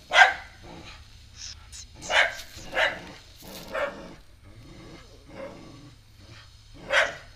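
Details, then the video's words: Dog barking at a newly arrived stray puppy indoors: spaced single barks, one sharp at the start, several softer ones in the middle, another loud bark near the end. "Dog keep on barking at the new puppy, a stray dog"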